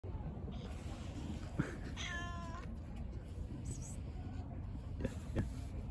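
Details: A shy stray cat on a bench outdoors gives one short rising-and-falling meow near the middle, amid heavy low traffic rumble and a few other faint sounds.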